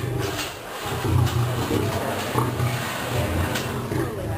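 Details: Two 5-year-old lions, male and female, behind the scenes at a zoo exhibit at sunrise in September 2009; the fired-up male gives deep, rumbling roars that pulse low and steady, with people talking nearby.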